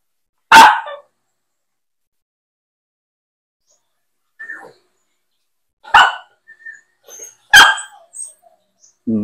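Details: A pet Aspin, the Philippine native dog, barks during a bathing challenge: three sharp, explosive barks spread over several seconds with long pauses between them, plus a few faint softer yelps and some brief background noise.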